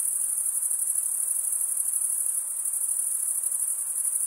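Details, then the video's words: Crickets chirping through stridulation, males scraping a wing edge across the comb-like teeth of the other wing, giving a shrill continuous ringing trill with a fine rapid pulse and no breaks. "Most relaxing cricket sound for 8 hours"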